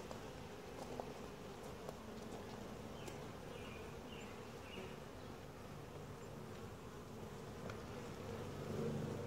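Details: Honey bee colony during a typical hive inspection, filmed from a tripod, described as quiet, gentle and calm; steady low droning hum with layered tones, occasional sharp clicks and taps from handling the frames.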